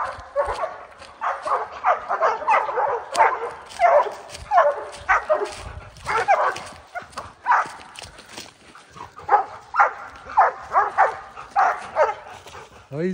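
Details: Several Oorang Airedale Terriers bay at a black bear they have treed on a spring mountain trail; sharp barks come in bursts roughly every second, overlapping, with some higher yips.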